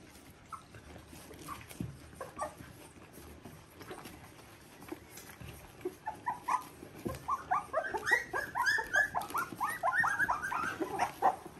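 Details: Border Collie puppies of litter V2, by Ori and Cru, three weeks old: a few scattered soft squeaks at first, then a dense burst of high, quick, upward-sliding whimpers in the second half.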